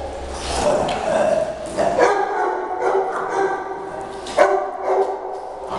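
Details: Small Shih Tzu dogs in a playful fight, barking at each other while one guards a newcomer Yorkie; choppy yapping barks and growly snarls overlap, with a steady high whine and some human speech.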